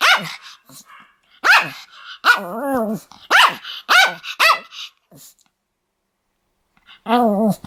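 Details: Pomeranian dog reportedly attacking people: a rapid run of about six piercing yaps, interspersed with drawn-out whining, wavering yelps, then a pause before one final whine.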